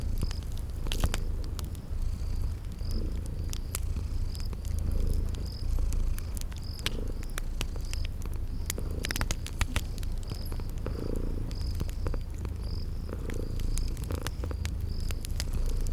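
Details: Sleeping cats purring near a fireplace in a spring garden scene; a soft, unbroken low rumble sits under frequent loud fire pops and crackles, with brief high chirps repeating in the background.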